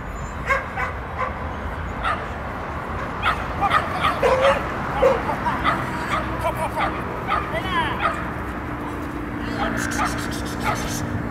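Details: Shetland Sheepdog during an agility jumping run on 12.10.14, giving short sharp barks in uneven bursts over a steady background of hall noise and voices of people talking.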